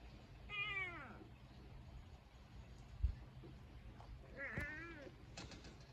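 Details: Two-coloured domestic cat filmed together with a lizard, giving two clear, drawn-out meows: one early and falling in pitch, a second shorter one about four seconds later, over a low steady background hum.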